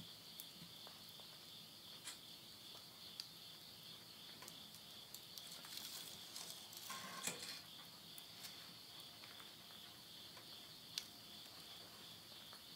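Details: Insects at midnight at summer's end in rural Yurihama, Tottori, Japan, September 2020, sustain a high steady chirring band; burning wood in a stove crackles throughout, with a brief rustling burst midway.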